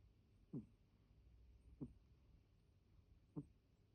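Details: Deni, a pet cat, snoring in a way that differs from its usual snore: three soft, short, low snorts about one and a half seconds apart in a quiet room.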